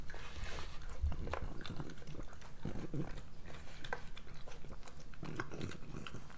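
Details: Pregnant French Bulldog Moolah eating breakfast; snorty breaths and wet smacking chews repeat rhythmically, with a few sharper crunches and a low thud near the start.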